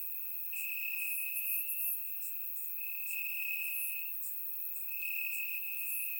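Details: Crickets chirping in grass on a warm summer night in Bulgaria, recorded in surround sound: a steady high trill in long bursts about a second or more each, with fainter higher pulsing chirps layered above.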